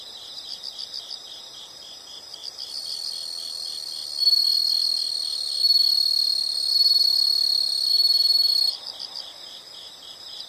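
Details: Insects chirping in a natural setting: pulsed high chirps in bursts of about four per second, joined by a loud steady high-pitched trill that swells in the middle and stops abruptly near the end.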